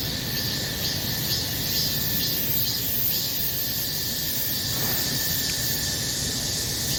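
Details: Summer cicada chorus, an unbroken shrill buzz with slight rhythmic throbbing near the top, loud and even for the whole stretch.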